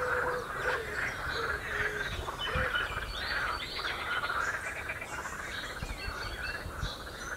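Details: Croaking frogs on the Royal Military Canal near West Hythe make steady, buzzy, pulsing calls in an unbroken chorus, with a few soft low notes and faint bird chirps in the background.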